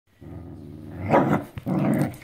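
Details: Two bonded whippets play-fighting at home after a walk, mouthing each other in a game; deep rumbling growls in two long bursts, rising to a harsher snarl mid-way.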